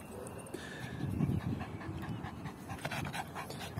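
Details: Yorkshire terrier puppy panting while playing fetch with a ball, steady soft rapid breaths under a low rumbling background, with a woman's voice briefly praising.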